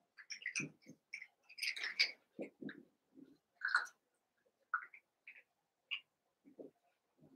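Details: Cavalier King Charles Spaniel puppies, Daisy's six merged with Robin's two, playing indoors: short high squeaks and yips scattered irregularly, mixed with soft low thumps and scuffling.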